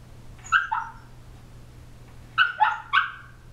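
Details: An 18-week-old female Shiba Inu puppy, asleep and possibly dreaming, gives soft, muffled yips and whimpers in short clusters.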